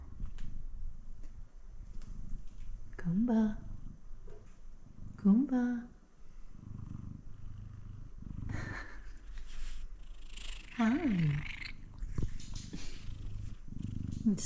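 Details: F2 Savannah cat, a male, recorded up close: steady low rumbling purr broken by three short rising chirp-like meows, the last two about six seconds apart, with a woman speaking softly to him in between.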